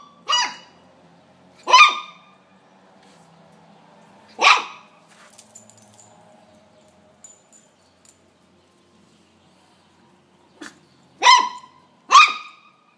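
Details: A pet dog confronting a praying mantis gives sharp, high barks at uneven intervals, three in the first five seconds, then a quiet stretch with faint rustling and soft clicks before a final pair of barks.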